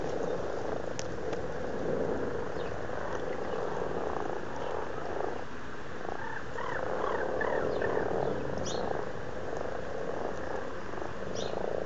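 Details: February 2012 pond in Blarney, County Cork, Ireland, full of very amorous frogs: continuous low, throaty purring croaks swelling and fading in waves, many voices blended together.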